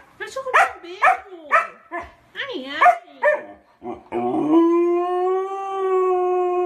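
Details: Dog giving a run of short yowling, talk-like syllables that bend up and down, then settling into one long, steady, even-pitched howl rich in overtones, in an otherwise quiet setting.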